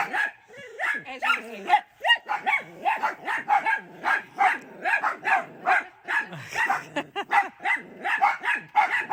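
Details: Dachshunds barking excitedly at their grandmother as she watches from a window; dense overlapping high-pitched yaps and whines from more than one dog, nearly continuous, with a brief human voice near the start.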